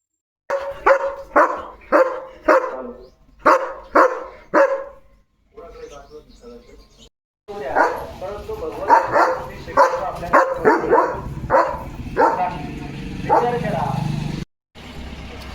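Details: German Shepherd named Leo in a home courtyard: a run of about eight sharp, evenly spaced barks roughly every half second, then a pause, then a voice talking over further mixed barks.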